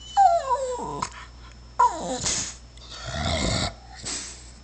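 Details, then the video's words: Shar Pei dog crying because it wants to go out: two high, whiny cries that slide downward, each under a second, followed by rougher, noisier grumbling vocal sounds and a short final whine. "Shar pei crying to go out"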